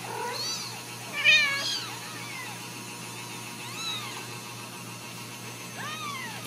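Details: Home-raised Ragdoll kittens at a central Kansas cattery mew in thin, rising-falling arcs, several overlapping early on, then scattered single calls, with a low constant hum and a sharp knock at the end.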